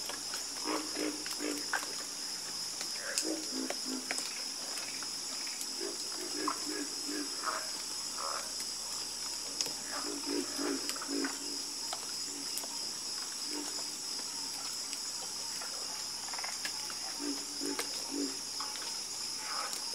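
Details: Frogs croaking together in a chorus, with clusters of brief, low, knocking croaks coming in uneven bursts, set against a steady shrill humming background that never stops.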